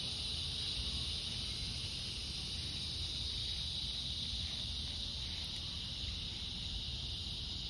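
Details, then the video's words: Cicadas droning on a summer evening, August 4th, during a stroll at fading light: a steady, continuous high buzzing hum, softer here, over a low rumbling background. "Evening Cicada Song Stroll"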